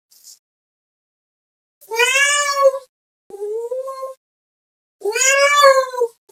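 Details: Cat meowing while calling another cat, giving three meows: a bright, drawn-out first, a shorter, lower, rising middle one, then another long bright meow, with clean silence around them.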